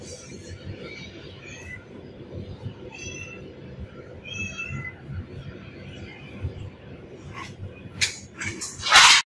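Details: Two kittens trying to bite the shell of a cat's seed bag indoors; a few short, thin, high meows with faint harmonic stacks near three and five seconds, low murmuring and rustling throughout, a sharp scratchy burst at the end.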